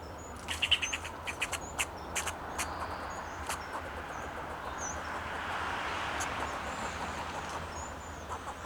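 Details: Alarm calls of a fox squirrel perched on a Monterey pine in Del Monte Forest, California, defending itself and its territory: a quick run of dry chucks over the first two seconds, then a rising wash of background noise with distant thin whistles.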